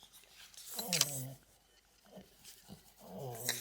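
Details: French Bulldog, a pet dog indoors, making two drawn-out low moaning growls with a wavering, voiced tone, each lasting about half a second, separated by quieter snuffles.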